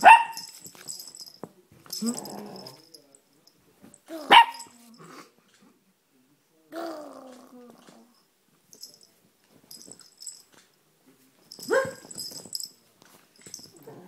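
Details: A nine-month-old male Chihuahua playing on a couch, indoors, recorded on a phone: sharp high yips and short barks in scattered bursts with pauses between, a few low growly notes mixed in.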